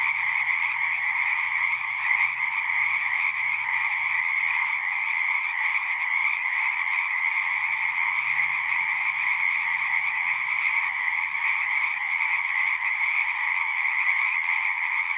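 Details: Continuous chorus of singing frogs: countless overlapping trills merge into an unbroken high buzzing wall of sound with a softer lower band, steady loudness throughout, a faint low hum underneath.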